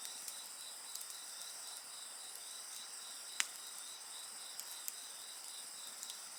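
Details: Insects singing beside a bonfire: steady high buzzing bands with a faint pulsing trill lower down, and sharp wood crackles popping out now and then, one loud snap near the middle.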